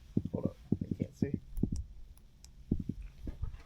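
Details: A black drum just caught in a bully net in Florida gives deep, knocking drum beats in quick clusters of two to four while held on the boat.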